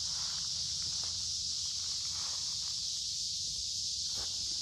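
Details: A noisy midsummer cicada chorus in woodland beside a creek, warm and humid weather: an unbroken shrill buzzing wall of sound, with soft footsteps and brushing leaves during a walk.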